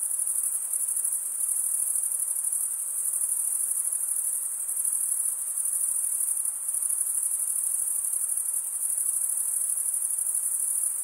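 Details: Steady high-pitched trilling from male crickets stridulating with serrated wing veins. The fast pulses merge into a constant ringing drone with small rhythmic swells, and no other sound appears.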